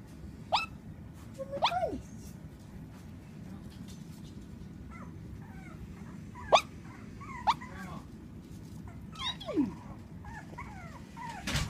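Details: Shih-poo puppy asleep and dreaming, giving soft muffled barks and whimpers: brief high yips scattered every second or two over a quiet background, with a person murmuring nearby.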